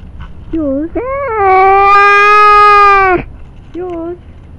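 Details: Jerry, a pet cat, angry at being accused of pooping on the lawn: a short falling meow, then a long, drawn-out level yowl of about two seconds, and a brief closing meow, over faint low background rumble.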